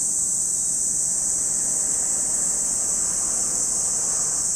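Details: Cicadas calling at Lake Kamo in Sado City, Niigata Prefecture, Japan, a steady high sizzling drone with no breaks, over a soft low background rumble.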